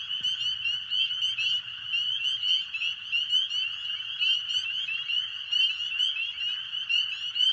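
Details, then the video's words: A dense chorus of spring peepers on a warm, rainy spring night, countless high, piercing peeps overlapping into a continuous shrill ringing. "hopefully you just heard the sound of spring peepers, and that's my favorite sound of all time."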